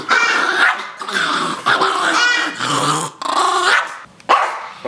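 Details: Rosco the Chihuahua protesting a shower indoors: rough rising-and-falling growls in bursts about a second long, mixed with a person talking to the dog over them.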